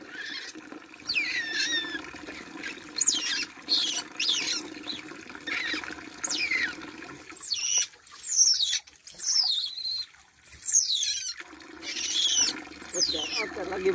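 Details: Shrill falling squeaks from a young otter during its bath come in scattered bursts, with splashing water and a brief lull midway.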